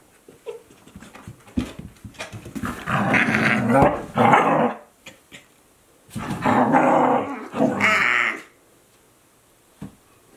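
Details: Two Akita Inu, aged 14 months and 2 months, playing together in 2023: two long bouts of loud, rough growling mixed with whiny yelps, separated by a quiet pause.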